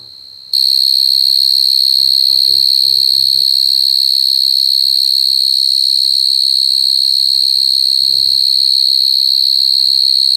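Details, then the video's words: Crying coconut crickets: a shrill, continuous high-pitched whistling trill begins after half a second and carries on without pause. Short snatches of human speech break in at around two to three seconds and again near eight seconds. "Crying coconut crickets សត្វចង្រិតដូងយំ"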